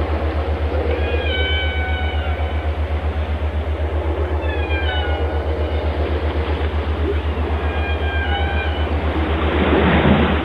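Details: Whale song: clear harmonic, whistle-like tones that glide slightly downward, in short phrases near 1, 5 and 8 seconds, over a loud steady low throb pulsing about four times a second, like an engine.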